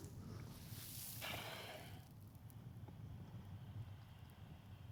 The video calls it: What does an Elephant Seal sound like? - Animal Sounds